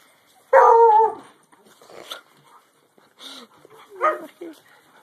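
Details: Small Alaskan Malamute puppy standing up to his father, with a loud, tonal half-second woo, then a few quieter grumbles and yips.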